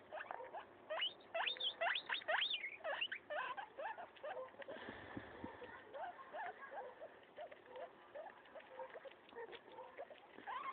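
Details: Domestic guinea pig tearing up a leaf, giving dense crisp crunching bites in fast irregular runs, loudest in the first few seconds and then steadier, with a brief low thump midway.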